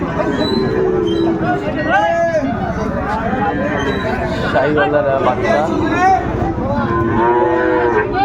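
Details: Sahiwal bull calves at Ambari cattle market, Bangladesh, 13 January 2025: repeated drawn-out lowing with rising and falling tones amid loud crowd voices haggling over prices.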